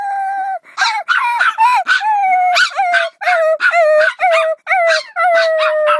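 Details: Dog howling in a long sliding tone that gradually falls, broken by bursts of sharp yips and short barks. Brief pauses separate the vocal runs.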